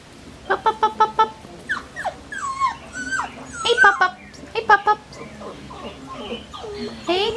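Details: Collie puppies at six weeks old: a busy mix of quick high yips in short bursts and drawn-out wavering whines from several pups, overlapping and irregular.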